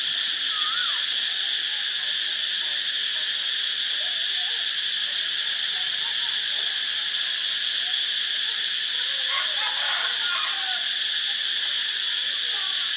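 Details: Cicadas in Ubon Ratchathani, Thailand, on 25 March 2022 make a steady, shrill, unbroken chorus buzz, with a few faint bird chirps underneath.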